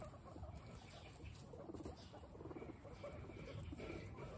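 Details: Guinea pigs at peaceful snack time, eating steadily: soft rapid crunching and rustling throughout, with faint low murmurs near the middle and end.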